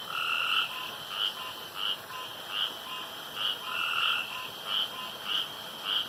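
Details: Male frogs calling around a pond at night, competing to croak loudest and longest; short bright pulses with a lower companion tone repeat roughly every half second over a steady high insect-like hum.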